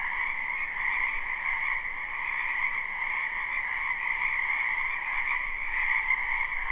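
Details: Live, unlooped spring recording of many frogs in a backyard wetland: a steady droning chorus of rapid trills layered over one another, holding one level from start to end, with a faint low rumble beneath.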